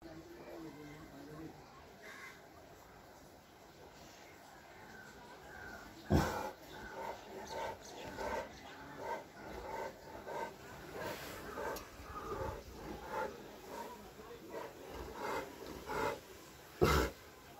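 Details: Whiskey, a giant wrinkle-faced French Mastiff (Dogue de Bordeaux), barking very aggressively: scattered deep, rough barks of varying strength, with two sharp loud ones standing out over a murmuring, noisy indoor background.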